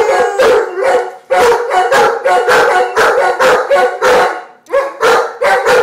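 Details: A pair of Giant Schnauzers 'singing' in chorus: rhythmic bursts of harmonic howling about twice a second, each wavering and overlapping, with brief pauses between phrases.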